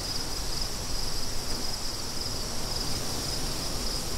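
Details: Fast pulsed cricket chirps form a thin high line above strong, gusty wind noise.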